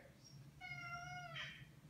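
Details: Indoor Maine Coon asking to be let outside: one drawn-out, steady meow about two-thirds of a second long, ending with a brief higher sound, over a low household hum and a person's voice.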